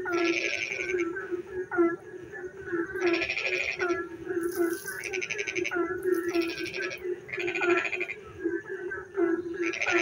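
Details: Frogs calling in the dark night during rain: loud rasping pulsed bursts repeat every one to two seconds over a steady low droning chorus, with shorter curved, whining notes between bursts.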